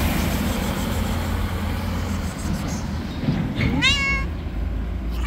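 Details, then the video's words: Angry, wild white street cat that refuses to be tamed gives one wavering, drawn-out meow with a slightly rising then level tone, set against steady low rumble of passing road traffic. "Angry and wild white cat who never wants to be tamed."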